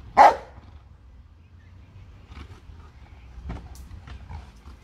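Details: A pet Bernese Mountain Dog, one of two kept at home, lets out a single loud, sharp bark at the very start, followed by near-quiet indoor background with a few faint clicks and taps.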